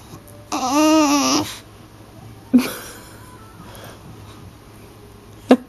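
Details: Phoebe, a bulldog with a laser pointer obsession, protests when play is refused indoors: one rising-then-falling harmonic moan of about a second, followed by faint soft grunts and a short sharp sound at the end.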